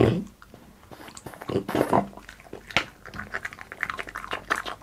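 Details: Boss, a French Bulldog, eating indoors for an ASMR mukbang: irregular wet crunches and smacking clicks, with a short low murmur at the start and busier, denser chewing toward the end.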